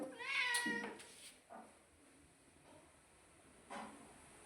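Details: Domestic cat uttering a short, bright meow at the start, then quiet with a few faint, brief soft sounds and one muffled call near the end.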